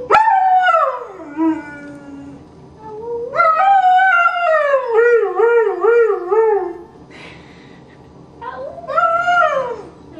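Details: Greyhound in foster care singing its roo: long howls that swoop down in pitch, one passage breaking into rapid wavering pulses, then a short rising-falling cry after a quiet gap.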